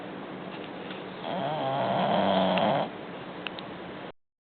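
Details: Bulldog named Butch snoring indoors: a steady breathy rasp that swells into a louder, harsher rattling snore around the middle, then eases back to quieter breathing.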